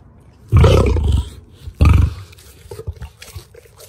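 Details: Lions at feeding time in the wildlife park at Ras Al Khaimah, UAE: two loud, deep, rasping roars about a second apart, each swelling abruptly then fading, followed by quieter chewing and crunching noises.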